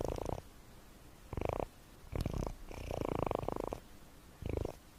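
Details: Sleeping domestic cat snoring, a low pulsing rumble in short bursts with quiet gaps between breaths; five separate bursts, the longest lasting nearly a second, in a quiet indoor setting.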